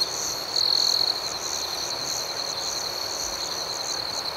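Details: Night crickets: one loud high trill stands out for about half a second over a continuous shrill chorus that pulses rapidly, near four beats per second, throughout.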